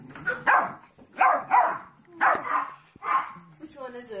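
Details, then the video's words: Puppies barking in a burst of five harsh, breathy barks spread over four seconds, the gaps uneven. Softer whining tones follow at the end. "Funny Puppies Barking Compilation"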